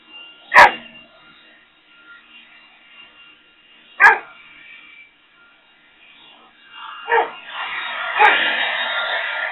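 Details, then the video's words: Rex, a Boxer dog, barks at a leaf blower: sharp single barks spaced a few seconds apart, over the steady droning hum of the blower, which grows louder toward the end. "Boxer Rex vs The Hideous Leaf Blower!"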